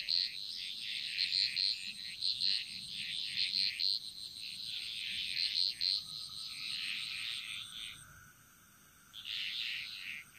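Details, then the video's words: Bali jungle frogs singing in chorus: pulsing rounds of harsh, high trills with clicky accents, a brief lull and lower drawn tone before the chorus resumes, over a steady high hum. "Frog Mantras - Relaxing Sounds Of Bali"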